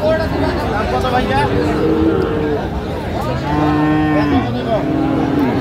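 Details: Heifer calves of Friesian and cross breeds at the Raniganj market in Dinajpur, 29 January 2025. Many animals bawl in overlapping, sustained moos, some sliding down in pitch at the end, over busy crowd chatter.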